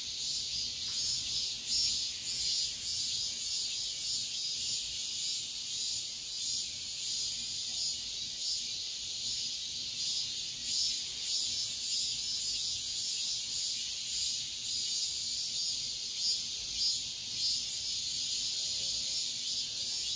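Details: At dawn in high summer, cicadas keep up an unbroken, bright, hissing whine that wavers gently in strength, roughly pulsing along with no pauses.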